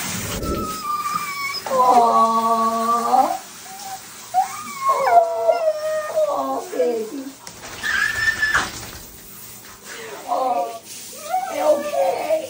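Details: Siberian Husky being bathed indoors in a small room, giving drawn-out howling, wavering vocalisations with rising and falling tones, several in a row, while a woman talks soothingly and water sounds in the background.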